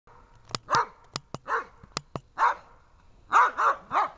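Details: Dobermann barking during protection training: deep, harmonic barks in uneven bursts, some doubled, with sharp dry cracks or snaps sounding between them.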